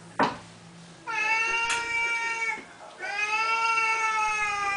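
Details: Pet Siamese cats indoors at morning or evening feeding time, part of a daily ritual: two long, drawn-out meows with rich harmonic overtones, each lasting over a second, following a brief sharp click.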